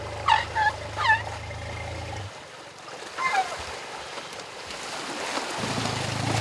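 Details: Asian elephants, a baby with its parents, captive at an elephant park, splashing and rolling in a river and shouting with joy; short high squeaky chirps, several quick rising-falling ones early, then another after a pause, over running water.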